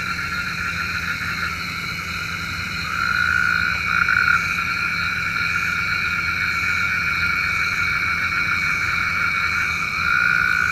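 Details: Night chorus of frogs, presented as a rain call. A steady wall of layered, high-pitched trilling rises in intensity around three to four seconds and again near the end, with no other clear sounds.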